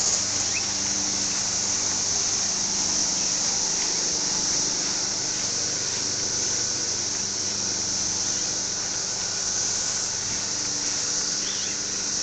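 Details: Cicada calling: an unbroken, shrill, high-pitched drone that holds steady and loud for the whole stretch, with a faint low background hum beneath it.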